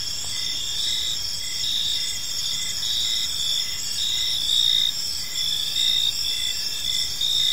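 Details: Evening park chorus of crickets: continuous high-pitched shrill trills overlapping, plus a lower chirp pulsing about every half second, with a gentle low rumble of ambient noise throughout.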